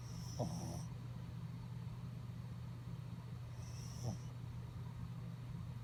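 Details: A sleeping dog snoring: two soft, raspy snorts about four seconds apart, each with a breathy hiss, over a steady low electrical hum that runs throughout.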